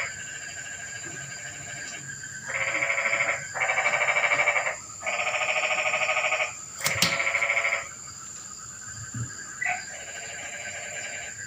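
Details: Frogs calling at night in the rain in Indonesia: bursts of rapid, buzzy pulsed croaking, each lasting one to two seconds and following one another closely, over a steady high-pitched whine and a quiet background.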